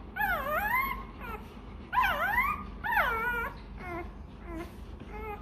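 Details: A hungry Rottweiler puppy begging for milk, giving drawn-out swooping whines that dip then climb, three loud cries followed by shorter, softer whimpers, in a small room.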